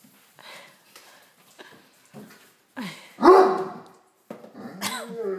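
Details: Pet Great Dane demanding a dinner roll from a tray: quiet whimpers, then one rising whine into a single booming bark, ending in a wavering, whining moan in a small room.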